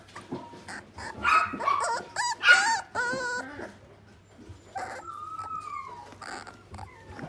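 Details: A Pembroke Welsh Corgi at a pet shop gives high, tonal yips and drawn-out whines in uneven bursts.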